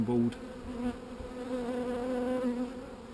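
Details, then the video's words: A steady, even drone from honey bees described as not so angry, holding one low pitch with a brief louder swell at the very start. "not so angry bees"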